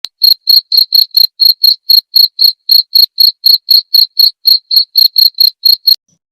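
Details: Cricket chirping, used as masteran training audio for songbirds and as therapy sound: sharp, high, evenly spaced pulses repeated about four times per second in a steady run, with faint higher overtones and no other sounds.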